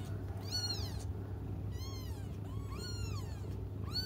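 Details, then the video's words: Waiting for their mother, cats cry in high, strained meows rich in overtones. Four cries come roughly one second apart, each swelling and falling, over a low steady hum. "until their mom comes just stop crying 😭"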